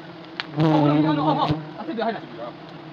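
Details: Honey bees at a wild hive being harvested the traditional way in Nagaland: a steady, low droning buzz with a layered humming tone swells up and holds for two seconds, while men's voices talk over it.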